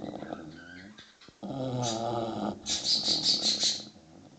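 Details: English Bulldog puppy, six months old, asleep with a deep, rattling snore, followed by a burst of high, quick chirps. Birdsong is noisy in the background throughout.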